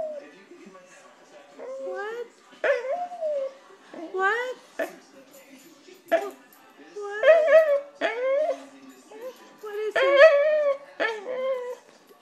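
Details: A begging Corgi cries for a snack of Cheetos, giving a long run of rising and falling whines and yelping cries, repeated roughly every second or two over twelve seconds, some louder and more strained.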